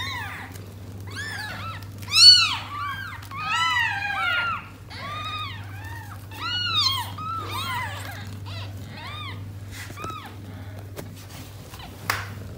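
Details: Cat Tota and her six newborn kittens at home, struggling to settle together; rapid run of high, arched mewing cries, several overlapping, loudest early and fading to a few sparse calls and a brief click near the end.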